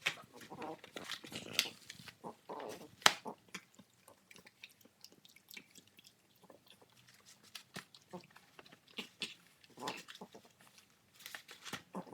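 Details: French Bulldog puppy gnawing cardboard to pieces without swallowing, indoors and sped up; scattered short snuffling grunts and chewing clicks, with louder tearing bursts at the start and end.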